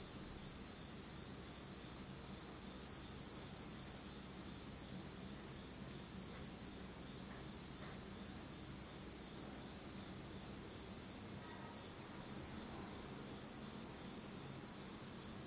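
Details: Autumn night insects in Japan recorded in total darkness: a steady, continuous high-pitched trilling band, unbroken for the whole stretch, with a fainter higher overtone above it and no other sounds.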